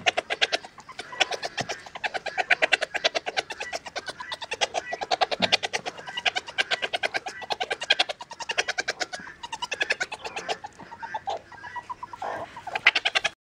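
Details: A ticklish meerkat, being tickled, chatters in fast, squeaky bursts of clicking notes, barely pausing for breath.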